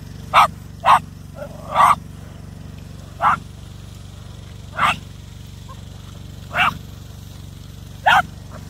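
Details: A Jack Russell Terrier barks while trying to grab a drone. It gives eight sharp, short barks at uneven gaps of roughly one to two seconds over a steady low mechanical hum.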